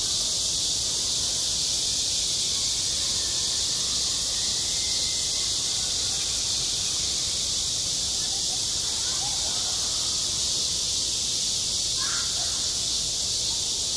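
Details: On a school playground in midsummer, cicadas keep up a continuous bright hiss-like drone at steady volume, and faint brief chirps surface late in the clip.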